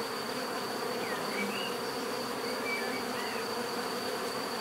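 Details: Bees hum in a dense, even drone with a high steady whine overhead, while several faint, short rising chirps of a bird sound in the background.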